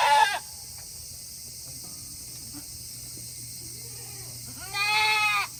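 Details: Tokara goats at a farm in Himi, Japan, on a hot day in August, wanting to return to their shed; a short bleat at the start, a long quiet gap, then one clear harmonic bleat near the end.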